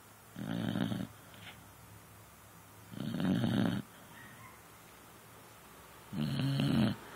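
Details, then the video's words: Sleeping beagle on a couch, snoring: three deep, raspy, rumbling breaths roughly every three seconds, each lasting under a second, quiet room in between. "Snoring Beagle"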